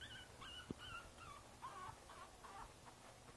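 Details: Soft, thin whines from Princess Izzy, a Boston Terrier puppy aged five weeks in a basket, 12/4/2011: a string of short, level and slightly bending cries, with one brief knock near the start.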